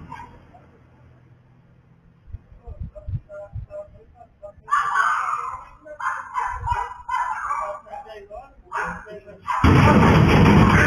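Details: Dog barking in a yard as a pit bull attacks the owner's female dog behind a narrow fence grate. Rapid bursts of harsh barks follow a quiet start, ending in a loud burst of broadband noise.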